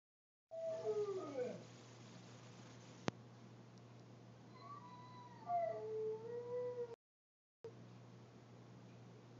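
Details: Domestic dog howling at a passing ice cream truck, recorded on a phone: a wavering, sliding howl early on, then a second long rising-and-falling howl after a pause, over a steady low hum.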